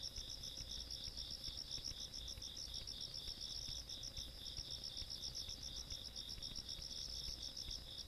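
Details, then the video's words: Night insects in the countryside, 17 August 2022, produce rapid, regular high-pitched pulses stacked in two layers, many callers blending into an unbroken shrill chorus over faint distant rumble. "시골밤 벌레소리"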